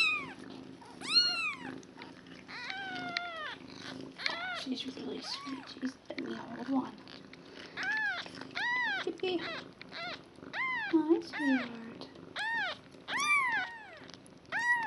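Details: Newborn kittens one day old, a foster litter of five with their mother Nala, call constantly: dense runs of high, arched squeaky cries overlapping one another, with soft rustling and faint low voices.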